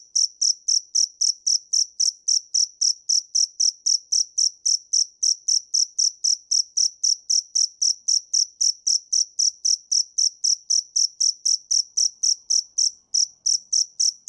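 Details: Continuous chirping of a dế mèn cricket: strong, high-pitched pulses in a fast regular beat, nearly four per second, sustained for fourteen seconds without other noise.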